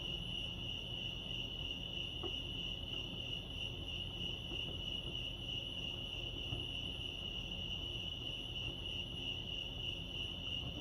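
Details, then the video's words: Chirping crickets at Lake Arrowhead, California: a bright, evenly pitched trill of rapid pulses runs continuously, with light low ambient noise. "Serenity sounds crickets chirping lake arrowhead"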